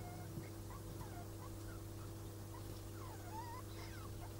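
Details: Degus during mating, the male marked by white fur around the neck; short squeaky chirps, some rising and some falling, come in scattered bursts over a steady low electrical hum.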